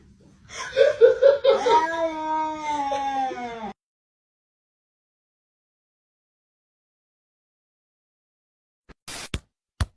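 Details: Cat from a compilation of funny viral TikTok cats gives a long, drawn-out meow lasting about three seconds, its pitch wavering then sliding downward, followed by silence and a few sharp clicks near the end.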